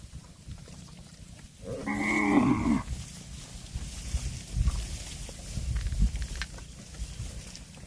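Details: Single bellowing moo from a cow grazing on grass, lasting about a second with strong harmonics, followed by low rustling, munching and background rumble.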